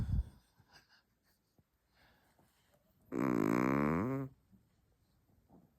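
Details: Chihuahua snore: faint soft breaths and small clicks, then a single strong, vibrating nasal rasp lasting just over a second whose tone slides downward before stopping.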